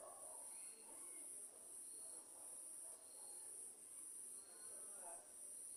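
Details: Cricket chirping at night amid a lightning storm, a shrill high trill broken into regular bursts roughly every three-quarters of a second, with quieter scattered background sounds beneath.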